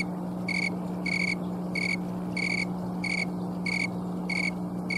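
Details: Snowy tree cricket (green tree cricket) in Colorado, October 2022 afternoon, wings producing its song. Eight short shrill chirps, about one and a half each second, stand out over a persistent low electrical hum.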